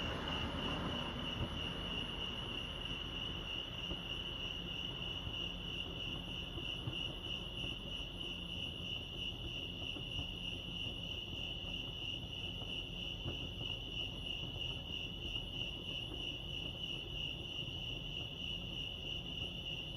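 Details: Continuous shrill cricket chirping recorded at Lake Arrowhead, California; the rapid pulsing trill stays level throughout while a faint low rumble sits underneath.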